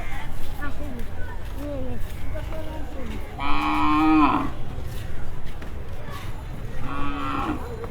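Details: {'text': "Cattle at a Dhaka cattle market, brought in during the night before Qurbani; two loud, low moos a few seconds apart, the first long and the second shorter, amid men's voices and shouting."}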